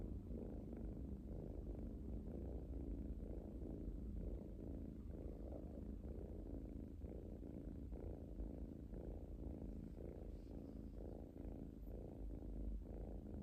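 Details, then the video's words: A young pet cat relaxing and purring, its deep, even rumble rising and falling in regular breath-paced waves about once per second, continuous for the whole stretch in a quiet indoor setting. "Cute Kitten Purring"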